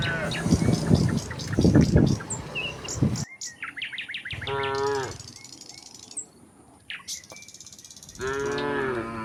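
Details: Tame cattle running down a hill toward their pen in the countryside: a loud rumbling, noisy stretch gives way to two drawn-out, harmonic moos near the end, with sharp bird chirps in between.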